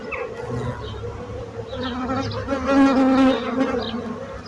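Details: Close bee buzzing: a low drone that rises in pitch and loudness as one insect passes near, around the middle of the recording, then settles back into the general hum; a few faint distant chirps.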